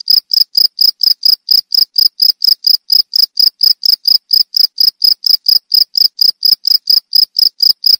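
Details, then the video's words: Cricket calling, its melodious chirp promoted against rats and for songbird therapy: shrill, pulsed chirps repeating steadily and quickly throughout, clean and dry with nothing else audible. "Suara Jangkrik Merdu"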